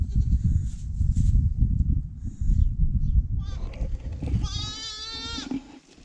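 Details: Newborn goat kid, the first of this year, gives a single wavering, quavering bleat about a second long near the end, after stretches of low rumbling handling noise and brief human voices.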